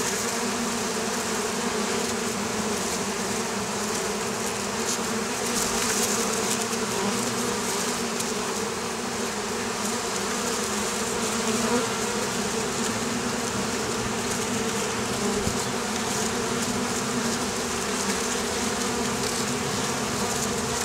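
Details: Vespa orientalis, the Oriental hornet, among beekeepers' hives in Campania, southern Italy. Many insects drone together in a constant layered buzz, steady in loudness, with small swells now and then.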